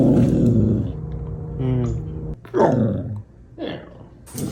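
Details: A happy dog giving short arooo-style howls: a low rumbling start, then brief harmonic yowls that rise and fall, indoors.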